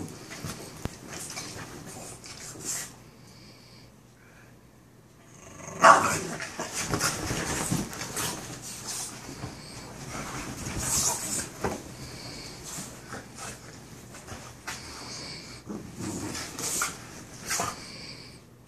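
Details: Two Boston Terrier brothers, Peanut and Cashew, playing together: a quiet opening with scattered soft noises, then from about six seconds rough, noisy bursts of play growling and short barks that come in uneven clusters until the end.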